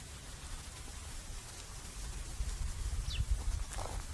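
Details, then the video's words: Buffalo lying at rest at noon in a farmer's field, chewing the cud: soft, low, muffled munching thuds, roughly three a second and unevenly spaced, with a brief high bird chirp near the end. "Sound buffalo chewing the cud"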